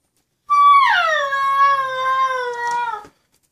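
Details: Maya, a 10-week-old female Husky puppy left at home while her friend Dex went to the dog park, complaining indoors: one long drawn-out whine, starting high and steady, then sliding down and holding low, strongly harmonic, for about two and a half seconds.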